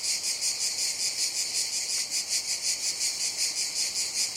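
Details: Cicadas produce an intense high-pitched rasp, beating in even pulses a little under three per second, unbroken from start to finish.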